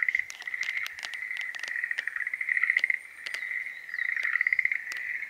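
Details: Schlegel's green tree frogs in breeding season. Several overlap in a near-continuous chorus of pulsed, rattling trills that rise and fall in loudness. Sharp clicks and taps break in throughout.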